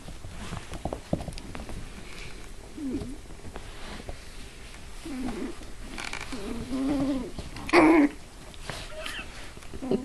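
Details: Papillon puppies indoors giving short, curved, high whimpers, then a longer wavering whine and a sharp loud squeal near the end, with people talking quietly in the background.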